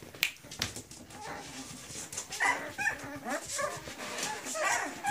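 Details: Forty-day-old Griffon pups in Cairo, a litter of three males and four females, letting out short squeaky whimpers and thin yips scattered through the clip, while people talk in the background.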